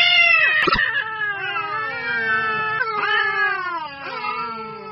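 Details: Stray street cats fighting angrily, a long drawn-out harmonic caterwaul slowly falling in pitch, broken by a few sharp clicks and brief rising yowls from a second cat.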